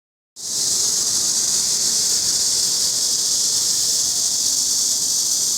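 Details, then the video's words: Cicada calling: after a brief silence, a loud, steady, high-pitched hissing buzz sets in and holds unbroken to the end, with no other clear sounds. "맴맴맴 우는 매미"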